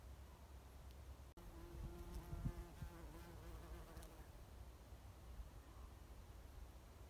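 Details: A bumblebee on Oregon grape at Lewis and Clark National Historical Park gives a deep, rich, droning buzz that wavers slightly in pitch as it moves, then fades, over a low background rumble.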